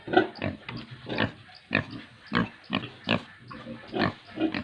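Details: Domestic pig at a pig farm in the hilly villages of Tripura, giving a series of short, rough, low grunts roughly every half second, about eight in quick succession with some louder bursts, over a quiet background.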